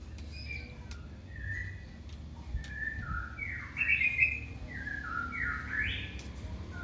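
A kitten gives thin, high mews that rise and fall, calling for its mother.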